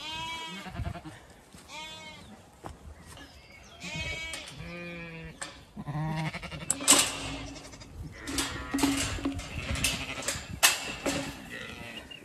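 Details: Zwartbles sheep flock grazing in late afternoon on a County Kilkenny farm in Ireland; several nasal, wavering bleats from different ewes overlap and repeat, and denser broadband sound fills the second half.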